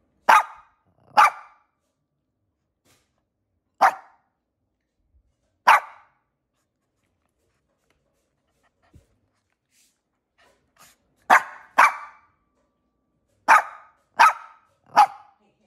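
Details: Pebbles, a pet dog, barking from her stroller: sharp single barks, some in quick pairs, at irregular gaps with a long quiet stretch in the middle and a burst of three or four barks near the end; no other clear sounds.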